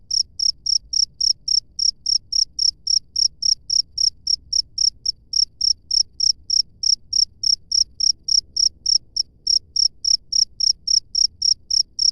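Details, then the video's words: Cricket in the wild producing a long, steady run of sharp high chirps, roughly three and a half per second, very regular throughout, with only a soft low hum underneath. "SUARA JANGKRIK LANGSUNG DARI ALAM BEBAS"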